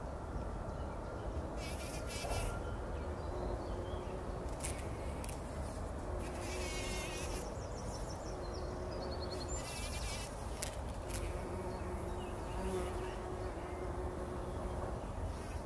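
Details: Several bumblebees rolling in poppy flowers, taking a pollen bath early in the morning before sunrise, 2019; faint low steady hum rising and fading, with high chirping birds throughout and a soft rushing background.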